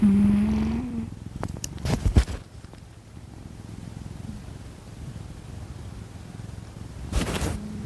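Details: Domestic cat Kkami, second pet of the household, asleep and snoring indoors: a faint, steady low rumble of fast pulses fills the second half, after a few sharp clicks and rustles early on.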